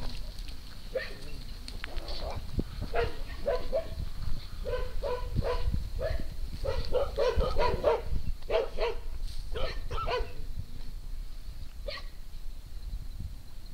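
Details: Farm dogs Pinto, Luna, Trinity and Junior on a morning romp through fields at Triple Acres Horse Rescue: a run of short, sharp barks about every half second, some overlapping, over steady low rumble.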